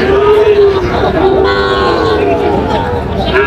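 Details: Young Sahiwal and Friesian bull calves for sale at a busy Bangladeshi livestock market, a Munshiganj farmer buying, 24 July 2025; drawn-out, gently wavering bovine lowing under bargaining voices and crowd hubbub.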